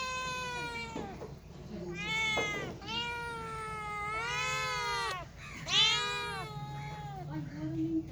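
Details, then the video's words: Cats and kittens giving a series of loud, long meows, each bending up then down in pitch, about one every second, separated by short pauses, with a faint low hum throughout. "Very Funny Cats and Kittens Meowing Sound Effects"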